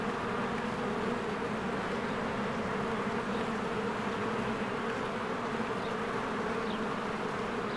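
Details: A continuous buzzing roar from many bees flying around their hive on a spring day with trees greening, recorded with a Canon EOS R. It holds a layered hum, and a few faint high chirps appear near the end.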